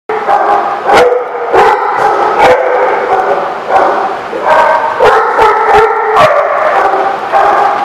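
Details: Several dogs at The Barking Lot, recorded 17 June 2016, barking and yelping over one another in dense bursts of high, ringing, harmonic yips with brief pauses between volleys.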